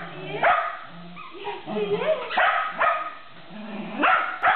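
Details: Shetland Sheepdog playing tug, giving a few short, sharp barks and yips at uneven intervals, mixed with a person's talking voice.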